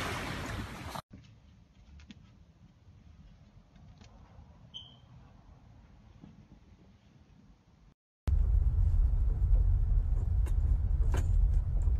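Low engine-like rumble and broadband noise with a quiet stretch in between, and no animal calls.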